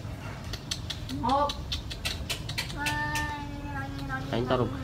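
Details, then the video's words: Village cat fight over a female: a short rising yowl, then a long flat moaning wail that breaks into a warbling cry, over rapid tapping noises and a man speaking. "Two Cats fight each other for beautiful girl [Cats Battle]"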